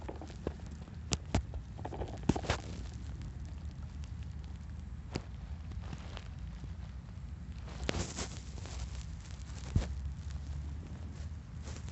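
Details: Low rumbling with scattered sharp clicks and crackles, with no animal calls.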